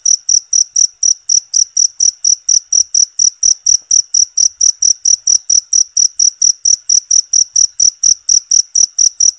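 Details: Loud, constant cricket chirps used for songbird tutoring, each chirp a bright high pulse, coming in a fast even series of roughly four per second throughout.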